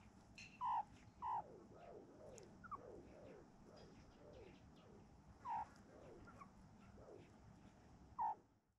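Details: A mob of meerkats sunning and grooming one another in a quiet farm yard gives short, squeaky chirps at irregular intervals, with softer falling peeps in between.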